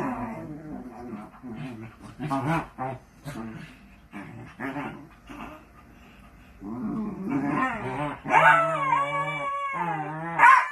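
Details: Pet miniature dachshund at play: short, stuttering whimpers and grunts repeated about every two seconds, building into a louder, sustained whining howl with rising and falling pitch near the end.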